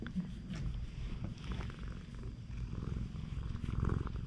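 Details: Friendly stray cat on a cat island, Japan, nuzzling up for attention; loud, rhythmic low purr with fast throbbing pulses and swelling breaths, slight rustle of fur and movement in the background.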